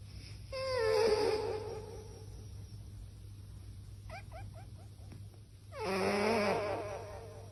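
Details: Sleeping cat snoring into an echo microphone: two drawn-out breaths with wavering tonal harmonics, one early and one near the end, separated by a quick run of short clicks over a steady low hum.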